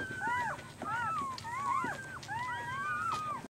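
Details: Day-old newborn puppies, 24 hours old, whining in several bursts of curved, rising-and-falling squeals, two or three voices overlapping, each bout under a second, before an abrupt stop.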